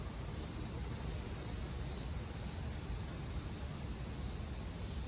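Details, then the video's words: Cicadas singing in Japan in summer 2022: a steady, hissing high-pitched drone held without a break throughout, over a low background rumble. "Sounds of the cicada [ Japan in summer ] セミの声"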